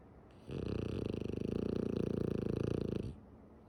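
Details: French Bulldog Tsumugi, a female, asleep with eyes open, gives one sustained rattling snore of about two and a half seconds, a steady fast vibrating buzz rising and fading at either end, room otherwise quiet.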